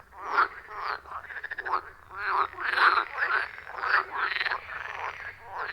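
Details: Wild frogs calling in a loud chorus around a forest pond, recorded with an iPhone 14 Pro and Shure MV88+. Overlapping raspy, pulsed croaks rise and fall in quick bursts, several voices at once, with no music or talking.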